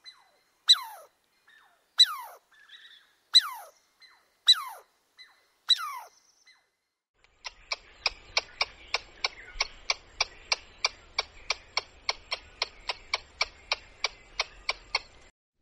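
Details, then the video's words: Squirrel in a forest setting: first five loud, falling squeals at steady intervals, then after a pause a fast, even series of sharp clicking chucks, about three per second, over a soft low rumble. "Squirrel Natural Sounds"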